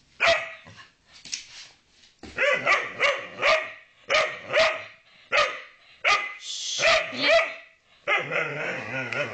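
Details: Ville the dog barking because he wants to play with Pajjen: bursts of quick, sharp barks, some in pairs, with short pauses between groups and a higher, squeakier yip near the end.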